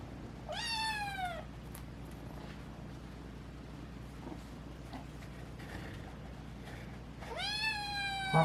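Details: Domestic cat Naru, cured of FIP, voice breaking with age, meows twice with arching, harmonic cries nearly seven seconds apart; soft faint rustles fall between them over a constant low indoor hum.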